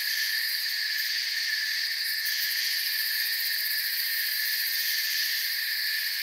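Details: Woodland crickets keep up a continuous high-pitched chirping chorus, several trilling layers blending into an even drone that neither rises nor falls, with no other distinct sounds.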